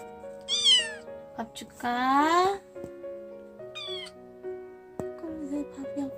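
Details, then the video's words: Hungry young stray kitten being raised indoors, meowing for food in the morning: a thin high falling meow, then a longer loud wavering meow, and a brief high call later, all over steady background music. "고양이 새끼의 밥달라는 울음소리 모음 Cat Sounds MEOWING"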